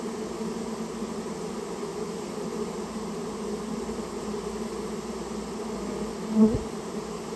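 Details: Japanese honey bees, a rare native colony that nested inside someone's storehouse, buzzing during removal; a steady, low, droning hum holds evenly throughout, with a single brief thud near the end.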